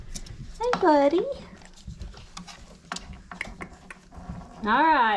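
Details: Five-week-old Old Family Red Nose Pit Bull puppy from Abby and Ragnar's litter giving two loud, rising-and-falling harmonic whines, one near the start and one at the end, with a woman's voice and handling noises between.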